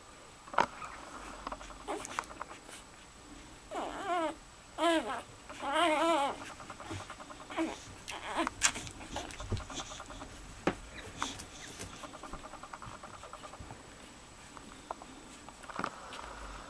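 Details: Puppies of a dog named Daisy while feeding, giving several rising-falling whimpering squeals around four to six seconds, plus scattered short squeaks and clicks and soft rustling noises throughout.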